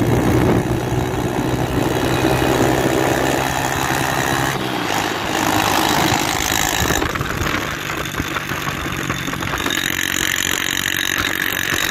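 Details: Loud idling and revving motor engines dominate throughout, with a short dip around the middle and no animal sound.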